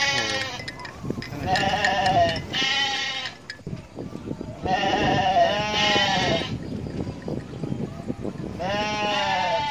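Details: Goats feeding along the edge of a rice field and a main road bleat loudly in wavering, nasal cries, several overlapping in bursts, with low background noise.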